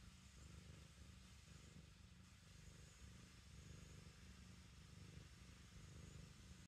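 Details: Kneading black kitten at home, purring in a low vibrating drone that rises and falls gently with each breath, a short unbroken stretch without other noises.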